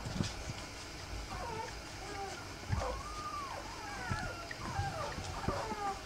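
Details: Three-week-old Rough Collie puppies whimper repeatedly: thin, arching, whistle-like whines that rise and fall, several overlapping in quick succession, with soft rustling and low background rumble underneath.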